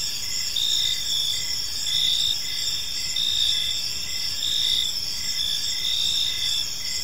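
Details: Crickets chirping in a peaceful park as evening unfolds; steady high-pitched trills in several layered bands, pulsing in rhythmic bursts roughly every second, forming a continuous chorus over soft low background noise.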